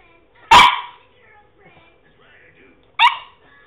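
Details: A male French Bulldog tries to bark. One loud, abrupt, rough woof is followed by soft grumbles and, about two and a half seconds later, a shorter second woof over a low steady hum.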